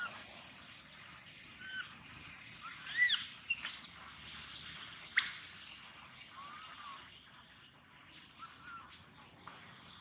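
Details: Loud crying from baby monkey Gino: a few soft whimpers lead into a long, piercing, very high scream held for about two seconds, then quieter short whining notes trailing off toward silence.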